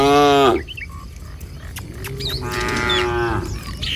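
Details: A herd of tame cattle on a morning walk through a village toward pasture. A short loud moo opens, followed by a quieter pause with faint bird calls, then a longer lowing moo in the latter half.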